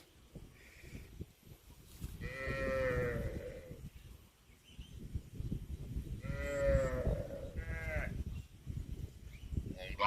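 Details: Cattle mooing in a funny cow compilation: two long harmonic moos, around 2 and 6.5 seconds, each with a held, slightly falling tone, plus a shorter call near 8 seconds over a busy, rustling rural background.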